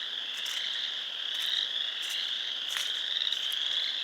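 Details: Many frogs calling together at a pond in Sanborn, New York, on 29 March 2020, producing an unbroken high-pitched ringing chorus with occasional brief, sharp individual notes rising above the mass of sound.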